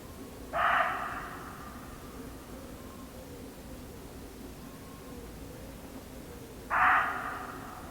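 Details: A muntjac deer in an English garden gives two loud, hoarse barks about six seconds apart against a quiet background.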